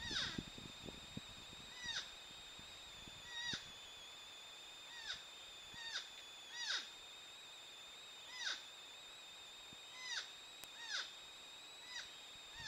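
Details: Mating sounds of wild porcupines, a female in a tree apparently rebuffing a male below: a string of about ten thin, high whines, each bending downward at the end, spaced irregularly, with a steady high hum behind.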